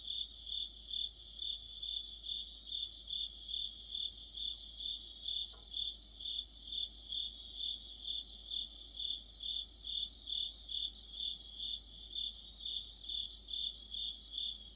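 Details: Crickets and other insects singing together in deep autumn, by a streetlight: a steady high trill swelling about twice a second, joined by bursts of rapid, higher chirping that come and go, with one brief click midway.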